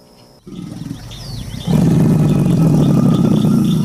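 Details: American alligator: a softer low rumble first, then a loud, sustained, vibrating bellow swells in midway and continues to the end, while thin bird chirps flicker faintly above.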